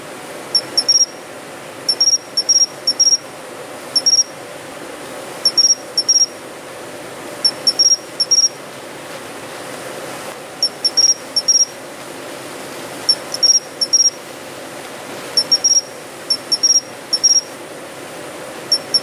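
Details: Japanese pine cricket singing from urban shrubbery in early autumn: clear, high, metallic tinkling notes in clusters of two or three, about one to two seconds apart, over a steady faint hiss.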